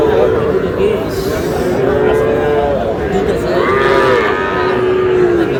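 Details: Sahiwal calves, small bulls and heifers, bought by a Shariatpur farmer in Bangladesh, low with a string of long, tonal moos, each gently arching then sliding down, one after another, with voices and murmuring people behind.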